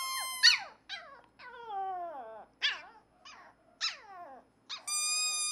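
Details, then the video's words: A shy black male Pomeranian puppy, excited by a green squeaker toy, howls in high, wavering notes that slide downward, broken by sharp little yips. "Black Pomeranian Puppy. HOWLING LOL"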